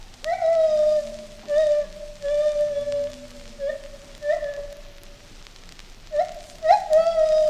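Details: Agile gibbon calling at London Zoo, U.K.: a series of clear whistled hoots, some rising and some level, repeated at irregular intervals every second or so, with a fainter lower tone in the background.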